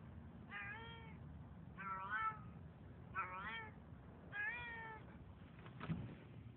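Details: Hungry cat at night after following a couple to their door; four drawn-out, wavering meows about a second apart, each rich and nasal, followed by a short rustling knock.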